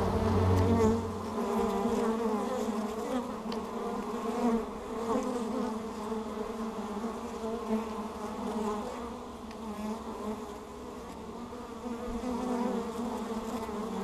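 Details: A GoPro mounted on the entrance of Hive Ester catches bees coming home with pollen pants; a loud buzz swells close by at first, then a steady layered humming chorus of wings with slight surges.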